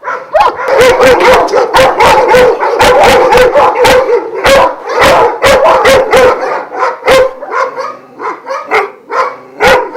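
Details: Vujanski-line Šarplaninac dogs at a Jasika kennel near Kruševac, twelve in all; loud, steady barking around two per second with a sustained howling tone underneath, many voices overlapping, plus frequent sharp knocks, fading slightly toward the end.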